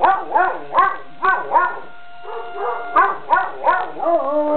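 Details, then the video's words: Puppy Avalanche answers a school siren next door with a string of short, rising-falling yips in quick bursts, ending in a brief steady howl, the siren's flat tone faintly beneath. "Avalanche Howls at the Siren"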